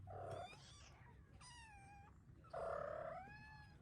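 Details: Ragdoll kittens meowing while waiting for breakfast indoors; two high, slightly falling mews about a second apart, with a low household hum underneath.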